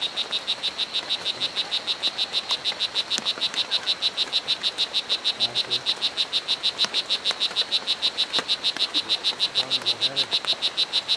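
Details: Strawberry poison dart frog (O. pumilio) at Hitoy Cerere Biological Reserve, Costa Rica, an area with many colour varieties: a rapid, very regular train of high buzzy chirps, about three per second, steady for the whole stretch over soft forest background.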